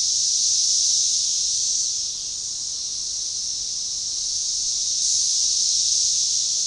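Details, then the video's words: Synchronized chorus of Magicicada tredecassini periodical cicadas at a forest edge by a baseball trail near DeValls Bluff, Arkansas, June 7, 2015: a dense, high hissing drone that swells, dips around two seconds, then swells again near five seconds. "Magicicada tredecassini organized chorus"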